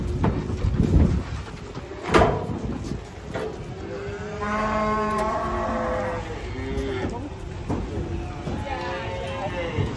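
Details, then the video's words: Cattle being unloaded from a truck, one of them angry: a long, drawn-out harmonic moo swells in the middle, followed by shorter lowing calls, while people talk and shout close by over a low engine rumble. "PASUKAN SAPI LUCU TURUN DARI TRUK SAMPE ADA YG NGAMUK JUGA"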